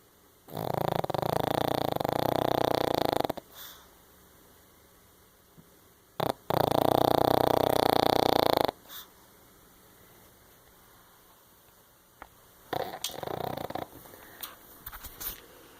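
A Pekingese snores loudly, with long rasping, rattling breaths drawn in several seconds apart.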